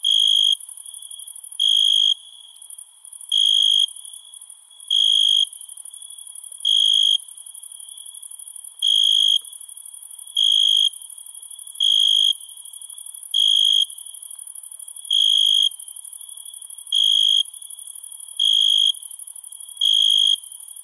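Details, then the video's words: Crickets at night, with a long regular sequence of about thirteen short, shrill trilled bursts spaced roughly 1.6 seconds apart, backed by an unbroken, very high, shimmering insect chorus. "Night Ambient Sound ( Cricket Sounds )"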